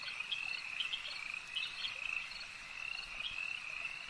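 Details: Lakeside frog chorus of many overlapping high, trilled croaks, unbroken and even in level, with several sharper individual notes popping out above the steady ringing drone.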